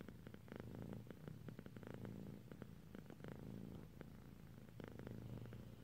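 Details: Sleepy female cat purring as she dozes off, a steady low rumbling purr with soft rhythmic pulses throughout, quiet indoor setting.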